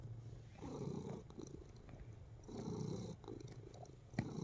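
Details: Relaxed pet cat purring while kneading, a steady low rumbling purr in slow swelling waves, each rise lasting about a second and a half, with soft rustling and a brief sharp tick near the end.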